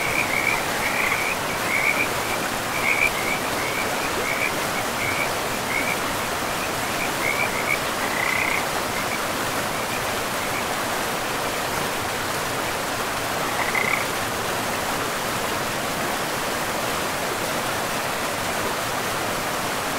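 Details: A forest river carries frog calls: a run of quick, bright chirps repeated about once a second for the first eight seconds, then a lone burst near the fourteenth second, all laid over the continuous hiss of flowing water.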